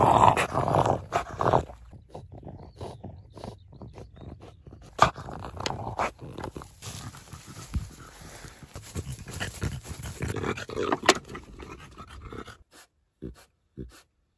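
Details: French Bulldog having his teeth brushed, making short low grumbling and growling noises in irregular bursts, with scraping and handling sounds, a loud burst at the start and quieter stretches toward the end.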